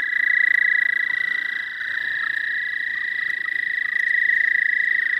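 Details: American toad heard in spring in the southern half of the state, a continuous bright, high-pitched musical trill droning without pause over a quiet background.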